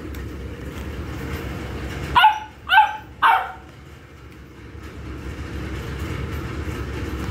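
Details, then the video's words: Saint Bernard puppy giving three short, yappy barks in quick succession about half a second apart, then falling quiet, over a steady low engine-like rumble throughout. "Saint Bernard Puppy"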